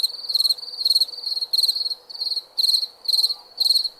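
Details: Crickets at night giving ringing, trilled chirps in short rapid bursts, about eight bursts in four seconds, over a quiet hum.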